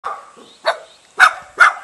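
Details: A Jindo dog in a front yard of a mountain village near Jeonju, Korea, gives three or four short, punchy barks about half a second apart, welcoming a guest, with a faint whine between barks.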